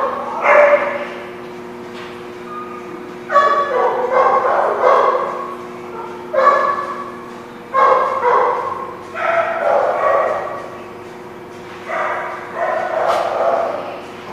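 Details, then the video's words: Dogs at The Barking Lot on 24 April 2017 barking in loud, clustered bursts separated by pauses of one to three seconds, with a steady low hum underneath. "The Barking Lot"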